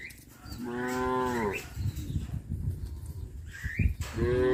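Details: Cows of a herd walking neatly back to a traditional livestock pen; two drawn-out, tonal moos, one bending downward near the start and a second near the end, over low rumbling ground noise with faint chirps.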